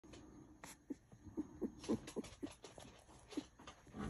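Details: Two-week-old American Hairless Terrier puppy, a naked terrier, giving a run of short soft squeaks and whimpers, several per second, with low snuffly breathing between them.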